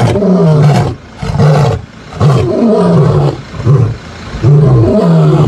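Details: Morning roaring by the Mbiri male lions, 16 September 2023: heavy low grunts repeat roughly every second, each a swelling, rumbling moan that dips and rises, with short quiet gaps between.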